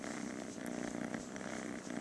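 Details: Rescued female kitten, saved on the day she was scheduled to die, described as playful and loving and constantly purring; a steady, even low purr runs without break through the whole stretch, with faint background hiss.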